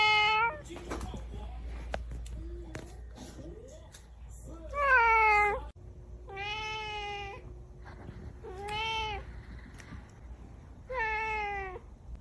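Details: Angry domestic cat uttering a string of drawn-out, harmonic meows every two to three seconds, some rising then falling, with a woman's soft Chinese speech early on and a low room hum.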